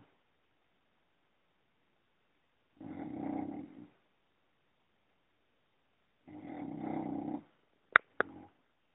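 An English Bulldog snores with long, rumbling, rattly breaths separated by quiet pauses.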